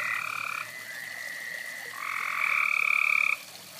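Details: Frogs calling by a fireside: a short buzzy croak, then a softer lower drawn-out one, followed by a louder, longer rasping burst that stops abruptly.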